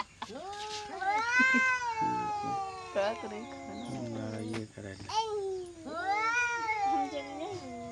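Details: Village cat sounding angry, with drawn-out wavering yowls, a low growling stretch midway, then another rising-falling wail; voices speaking Hindi in the background.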